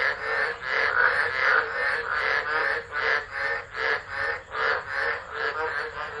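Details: Storm-night frog chorus recorded by phone at Driver, Northern Territory, Australia, in December 2013; rapid croaks pulse nearly three times a second, rising and falling in loudness over a dense background of calling frogs.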